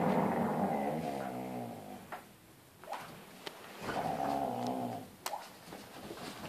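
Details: Husky in tug-of-war play with its son indoors; two long, rumbling, harmonic growls of about two seconds each, with thumps and clicks between them in a small room.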